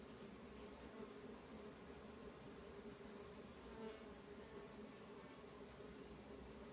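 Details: Stingless bees from several kept colonies moving about their hives, a continuous low droning buzz with steady hum bands, no speech or other animals.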